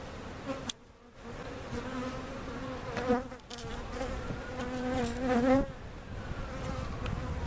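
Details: Honey bees from a cutout hive being placed in their permanent location at Jerome Bee Farm, Central Oklahoma; a steady low humming buzz with wavering pitch swells loudly as a bee passes close, then eases, with short quiet gaps.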